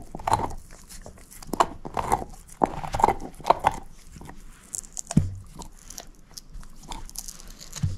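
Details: Shepherd mix dog named Moose, a female, eating a bone, giving sharp, uneven gnawing clicks and moist chomps in rapid clusters, with a few deeper thuds between bites.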